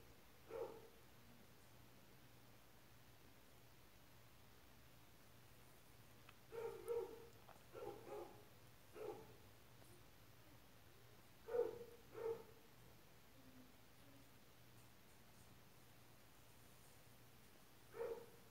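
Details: Young white-eared opossums from a litter in Mococa and Pitangueiras give short, squeaky mid-pitched notes, often in quick pairs, at irregular intervals separated by several quiet seconds, with a constant low electrical-sounding hum behind.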